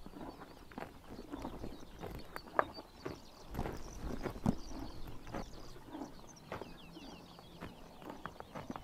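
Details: Horses biting grass in the morning sun during summer in Mongolia: irregular dry crisp tearing and crunching snaps scattered through the clip, with faint distant bird chirps in the background.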